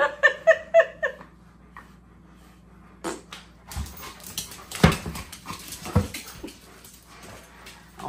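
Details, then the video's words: Impatient Alaskan Malamute throwing a tantrum indoors while breakfast is cooked: four quick, high, tonal whimpers in the first second, then a woman talking and kitchen clatter. "Worlds Most Impatient Dog Throws Epic Tantrum"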